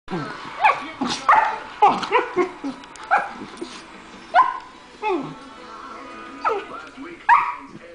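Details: Two 14-week-old goldendoodle puppy brothers squabbling over a bone. About ten short, sharp yappy vocal bursts come in quick clusters at roughly half-second intervals, with brief quieter pauses between the exchanges.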